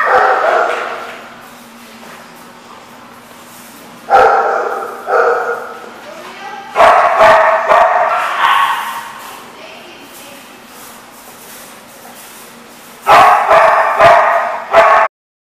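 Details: Dogs barking in a lot; loud, echoing barks in clusters with quieter gaps between, over a steady low hum, ending abruptly.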